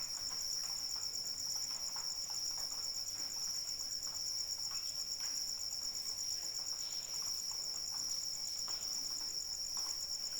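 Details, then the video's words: Cricket chirping in the rain at night, a steady, high, pulsing trill sustained throughout with a faint overtone above it, over soft rain patter and scattered drips. "Suara Hujan dan Jangkrik Pengantar Tidur"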